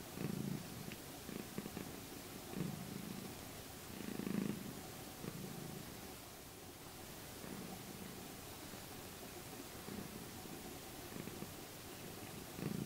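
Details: Domestic cat purring during her morning routine at her usual spot, a soft low rumbling purr in pulsing bursts every one to two seconds, quiet room background.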